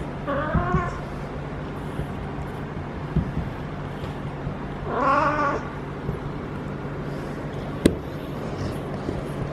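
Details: Feral female cat having her first heat, yowling for hours and rolling as a person pets her; two long, quavering, rising-then-falling howls about four seconds apart over a constant low hum and a sharp click.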